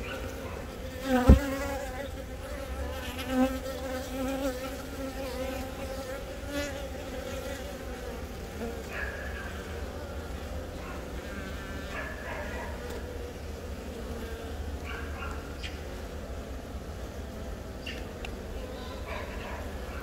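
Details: Honey bees in a hive at Baegam, Yongin, on April 20, where a new queen born from the year's first natural swarm lays eggs amid attendant workers. Recorded on a Galaxy Note10. A steady, low droning hum with a few brief clicks and knocks early on.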